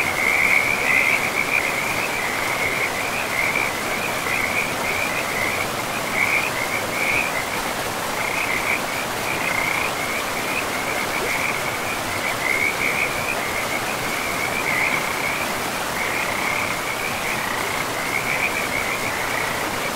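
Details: Frogs calling by a river in a pristine forest with moss-covered ground, a steady high trilling chorus of rapid pulsed notes running unbroken through the whole stretch over the constant broadband rush of flowing water.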